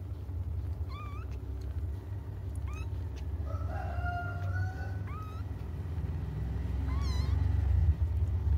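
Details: Cats crying as they wait for their mother: brief high upward-bending mews every second or two, with a rooster crowing in the middle and a low droning hum throughout.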